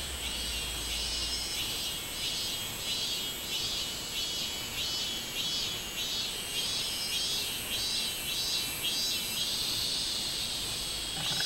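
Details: Robust cicada (minmin-zemi) singing on 24 July 2016: loud, high buzzing pulses repeated roughly twice a second in a steady rhythmic series, over a constant background insect drone.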